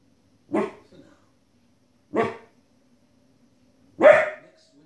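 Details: Female Border Collie puppy, 15 weeks old, barking indoors at wolves and other animals on television: three short, sharp, loud barks spaced roughly two seconds apart, with near silence between them.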